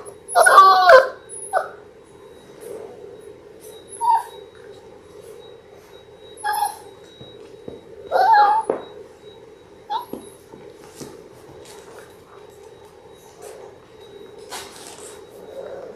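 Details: Six-week-old Labrador Retriever puppies from a litter of six, born January 18, 2022, watched indoors on a live puppy cam. A few drawn-out, wavering whines are separated by long, nearly silent gaps filled only by a constant electrical hum.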